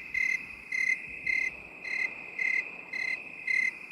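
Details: Crickets in binaural 8D sound, one giving crisp evenly spaced high chirps about every half second above an unbroken shrill background trill.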